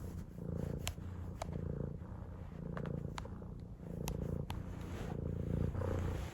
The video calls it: 【GuruGuru cat】ぐるぐるニャンコのミーたん Purring Cat - Mee